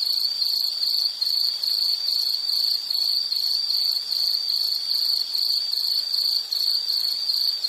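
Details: An insect sings a steady high buzzing trill made of quick pulses, grouped into short bursts roughly two or three per second, filling the whole stretch, part of a calming nature sounds series.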